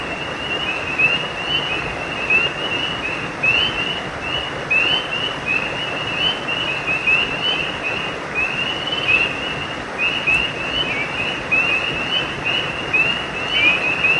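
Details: Frogs crying at night by a creek: many short, high chirps overlap in a steady chorus, repeating several times a second without pause over a constant background hiss.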